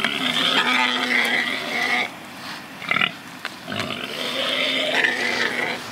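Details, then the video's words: Pigs rooting and truffling, living freely: long harmonic squeals of a second or two, broken by short grunts and a brief pause, then squealing again. "Awesome PIGS Squealing 🐖 Grunting 🐖 Rooting 🐖 Truffling 🐖 Oinking Piggie"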